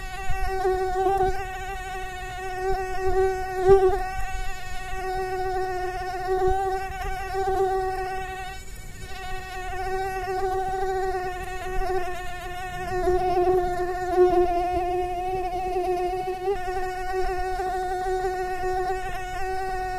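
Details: Persistent mosquito whine, a steady buzzing tone rich in overtones, its loudness rising and dipping repeatedly as the insect circles, with a faint low rumble underneath.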